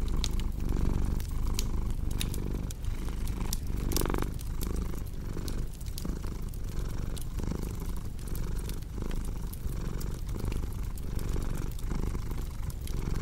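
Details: Cat purr mixed with a crackling hearth, meant for deep sleep: a thick, low, buzzing rumble rising and falling with each breath, accompanied by steady light crackling and occasional louder pops of the fire.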